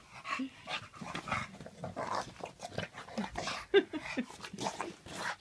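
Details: Bulldog indoors in a small room right after a bath, panting and snuffling in quick, uneven breathy bursts, with a louder snort near the end and a soft household background.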